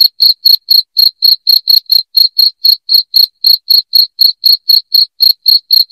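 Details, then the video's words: A loud cricket repeats short, piercing chirps roughly four times a second without pause, a sound offered for chasing rats from the house; no background noise. "SUARA JANGKRIK NYARING"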